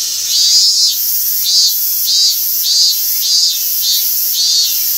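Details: A robust cicada (Hyalessa maculaticollis) at Gaikotsu-yama, Japan, on 28 August 2021 sings a loud, high, buzzing 'meen-meen' in steady repeated pulses. The later part is a separately recorded call of the same species, overlaid after it stopped singing.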